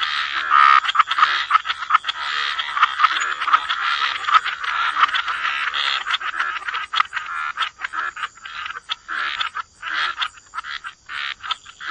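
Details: Dense, loud chorus of frogs croaking by the water, a continuous wash of rasping calls that breaks into rapid clicking, stuttering croaks in the second half, with a faint high steady tone underneath.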